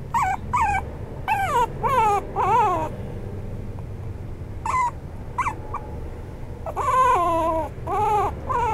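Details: Maltipoo, a toy poodle and Maltese mix dog, giving high, wavering whimpers and yelps in short bursts, several falling in pitch, with quiet pauses between groups and a faint low hum underneath.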